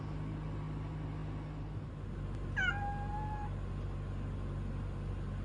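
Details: A kitten named Kuro gives one clear meow, about a second long, with a brief rising start that levels into a steady tone before fading, over a constant low hum.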